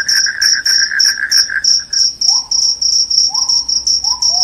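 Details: Cricket song said to chase off rats and cause drowsiness, with sharp high chirps repeated about three times a second over a lower trill that stops, followed by short rising whistles.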